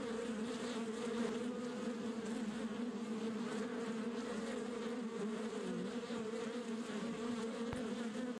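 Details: Colony of wild red dwarf honey bees nesting in a dry wood space, giving an unbroken even droning hum, with a brief click near the end.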